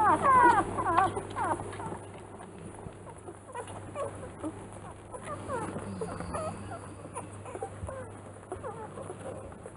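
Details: Three-day-old newborn Rottweiler puppies from the B litter of Ziva van Angfiero at Kennel Angfiero. A burst of high, squeaky, bending whines opens the first second. Softer scattered squeals follow near six seconds over a steady low hum.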